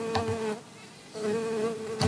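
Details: A digger bee on a flower vibrates its body without flapping its wings to shake loose the pollen. It makes a steady, high-pitched buzz in two bursts of about half a second each, separated by a brief quiet gap.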